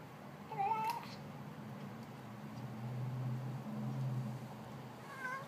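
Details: Female domestic cat making odd noises while she eats: a brief wavering mew near the start, then a low, steady rumbling murmur through the middle, and another short mew at the very end, all fairly quiet indoors.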